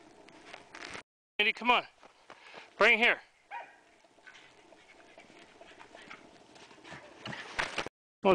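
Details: A female pet Pembroke Welsh Corgi plays and chases her frisbee during a snowstorm on January 20, 2011, in Columbus, Indiana. She gives two short bursts of sharp, yelping barks, and a person talks and urges her on.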